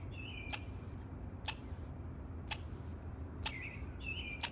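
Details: A squirrel gives sharp, clicking chirps about once a second in the morning, over a low background rumble.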